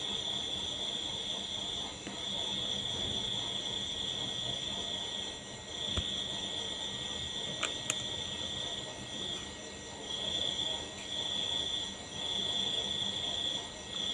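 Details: Crickets trilling in high-pitched bursts lasting a few seconds each, separated by short pauses, with a few faint clicks and soft background hiss.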